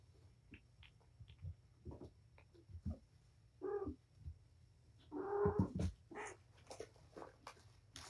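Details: Domestic cat Patience, surrendered to Purrfect Pals, playing with her five kittens indoors; a short meow, then a louder, longer rough cry, with scattered taps and rustles over a low hum.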